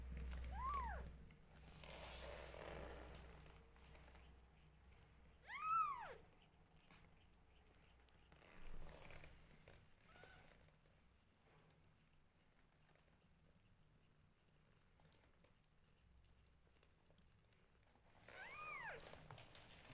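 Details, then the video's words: Newborn domestic kittens meowing loudly while their mother grooms them indoors; four high, arched, harmonic meows come near the start, middle and end, separated by long quiet stretches with soft low rumbling and rustling. "Newborn Adorably Cute Kittens Meowing Loudly When Their Mother Groom Them"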